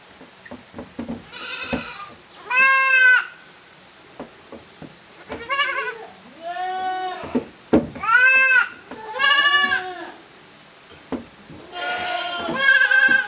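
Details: Goat kids split into two teams play in an exercise yard at a handmade goat farm on 13 June 2023; several loud, quavering harmonic bleats, some rising, overlap in quick succession amid hoof clatter and light knocks.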